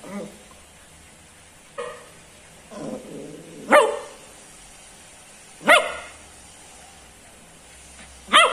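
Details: Cocker Spaniel puppy yipping: soft, short calls at first, then three sharp, high barks spaced about two seconds apart, with quiet gaps between them.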